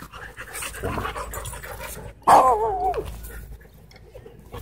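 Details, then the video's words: Two Siberian Huskies play fighting at a dog park; one gives a sudden loud wavering, howl-like yowl lasting under a second, set among scuffling, panting and background park noise. "Two Huskies In Intense Dog Park Battle"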